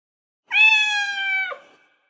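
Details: Cat giving a single clear meow lasting about one second, steady and tonal, dropping sharply at the end, with silence around it.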